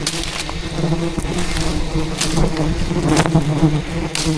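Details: Thousands of angry wild bees in rainforest, attacking and defending their colony as a giant hidden hive is harvested by a traditional honey hunter; a steady, low droning buzz with layered hum, broken by sharp crackles and rustling thumps of handling.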